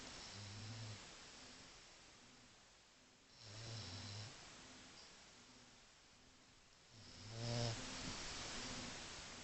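A French Bulldog snores in slow, rhythmic, rumbling breaths with a raspy, wheezing edge.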